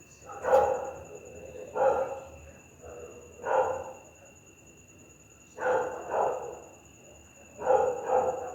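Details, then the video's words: A pit bull barks fiercely at night, gruff barks in irregular bursts, some doubled in quick pairs, about six in total, against a steady high-pitched electrical tone. "Efeito sonoro de PITBULL LATINDO A NOITE"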